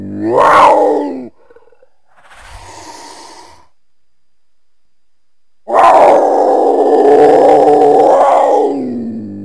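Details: Cougar, Puma concolor: a short loud wail, a faint breathy sound, a pause, then a long sustained moaning yowl of about three seconds, rich in harmonics and holding a fairly level pitch.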